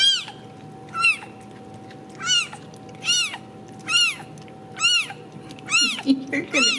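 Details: Home-raised Ragdoll kittens in central Kansas give a run of about eight high arching meows at a quick, uneven pace, with a few softer lower cries near the end and a steady background hum.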